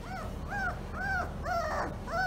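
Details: Female German Shorthaired Pointer puppy only days old: a run of five high, arched whimpering squeals, each rising then falling, about every half second, with faint background noise.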